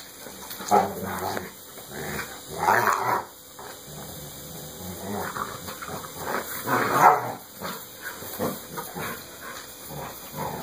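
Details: Two dogs at play, Sasha Bear the Saint Bernard and his best friend Texas the American Pit Bull Terrier, trade rough, grumbling growls in short bursts with quieter breathing and scuffling between them.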